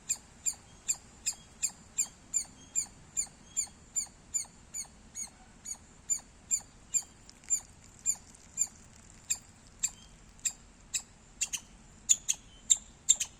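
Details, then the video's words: Squirrel giving loud chirping sounds: crisp, high, staccato chirps in a fairly steady run of about two to three per second, growing louder and more emphatic toward the end, over a quiet background. "Loud Squirrel Sounds -squirrel chirping Sounds Loud"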